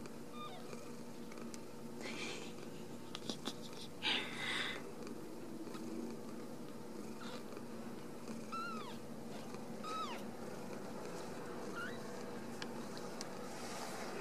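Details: Ragdoll kittens from a home cattery in central Kansas, raised without cages. Soft, thin, arched mews come in a scattered series late in the passage over a hissy indoor background with a few bumps and handling noises.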